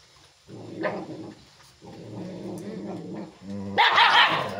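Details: Chippiparai dog showing aggression: low, rumbling growls come in two drawn-out bursts, then a short pause before a sudden loud, sharp bark closes the sequence.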